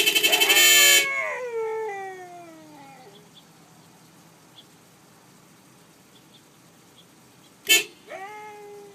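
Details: Siberian Husky kept as a pet howls after a car horn blast, a drawn-out descending wail fading over two seconds, then another short horn honk followed by a fresh rising-then-level howl.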